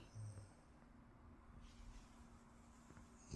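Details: Loki, a French Bulldog, snoring while waking up indoors in the morning: low, rumbling snorts and breathy snores run steadily through the clip, with a brief louder burst near the end.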